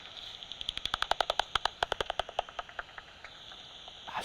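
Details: A pipistrelle, most likely a common pipistrelle at about 45 kHz, hunting at night: echolocation made audible by a bat detector as dry, rapid clicks about ten per second.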